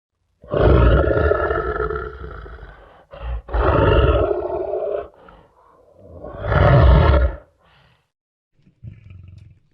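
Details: Lion roaring in three long, heavy bursts of about two seconds each, deep and rumbling with a strong low throb and layered harmonics, separated by short pauses, ending with a faint low grunt.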